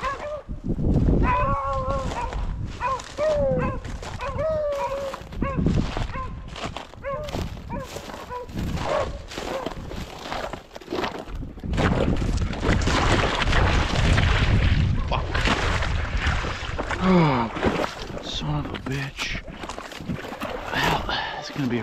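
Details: Beagles hunting rabbits in upstate New York in February 2023 give drawn-out, harmonic baying notes that waver and repeat over the first five seconds. Loud rustling, wind noise and men talking dominate the rest.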